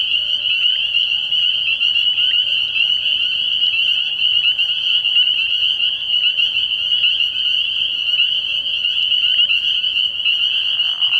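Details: Many spring peepers in full chorus at a frog pond after dark in early spring, a bright, sustained high trilling of countless peeps with no pauses, plus a short soft noise toward the end.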